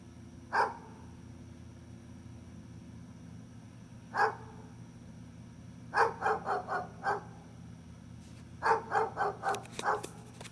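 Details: Two single barks several seconds apart from Gunner the dog, followed by two fast volleys of five or six barks in quick succession, over a faint steady hum.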